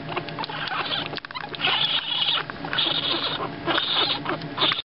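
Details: Two-week-old raccoon kits in a wildlife rehabilitator's care, awake and noisy: dense bursts of high, scratchy chittering and squeaks, with louder stretches through the middle and end and brief quieter dips between.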